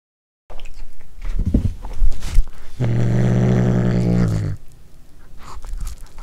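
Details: A domestic cat eats corn for the first time and growls over it indoors. A deep, even, rumbling growl holds for nearly two seconds, framed by loud crunching and chewing before and after.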